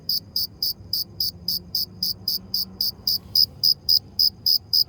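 A cricket chirps in short, high, pulsing bursts, about four every second.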